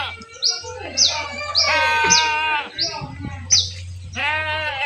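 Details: Goats being herded bleat in wavering, harmonic-rich cries, several overlapping. Short high swept chirps repeat above them, and a steady low hum runs underneath.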